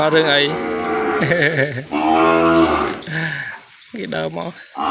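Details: A cattle calf cut off from its mother calls loudly through the pen with sustained, wavering moos. A long cry swells in the middle, then briefer calls break off near the end.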